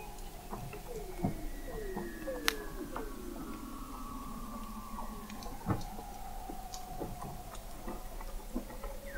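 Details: Chorus of Weddell seals in the frozen Southern Ocean at McMurdo Sound, Antarctica, November 2017, heard 21 m below the ice by an observatory. Several gliding downward whistles and long faint tones blend with sharp clicks and pops.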